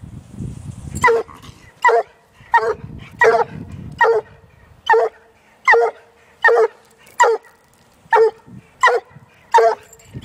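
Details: One-year-old female Walker hound facing a caged raccoon, only her second encounter with one: sharp, ringing barks repeated roughly every three-quarters of a second, with a low rumbling noise during the first few seconds.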